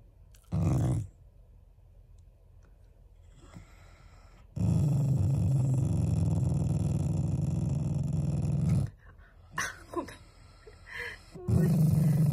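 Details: Loving Shiba Inu growling to show affection to its owners, not anger: a short grumble, then a long, deep, rolling growl of about four seconds, followed by small yips and whines before growling resumes.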